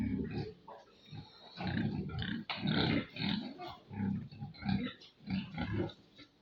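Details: Farm pigs making low, rhythmic grunts and snuffles, short throaty pulses about every half second, with some harsher higher squeaks mixed in.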